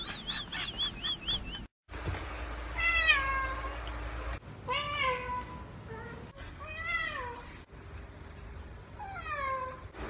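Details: Domestic cat from a funny pet compilation, meowing indoors: several drawn-out, arching meows that rise then fall, spaced a couple of seconds apart, with a brief cut and faint room noise between calls.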